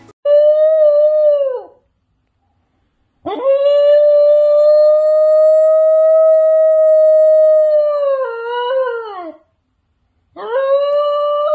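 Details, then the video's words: New Guinea Singing Dog howling, a melodious tone produced by curling the tongue back and vibrating it like a reed: three long, steady, harmonic-rich notes, the middle one held about six seconds, each sliding down at the end, separated by silences. "they curl their tongue back and vibrate it like a reed instrument to get the distinctive sound here is a short example of singing dog howling"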